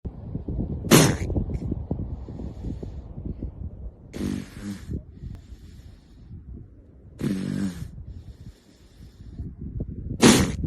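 Seals give sharp, breathy snorts and sneeze-like bursts, with some nasal, grunting tones between them.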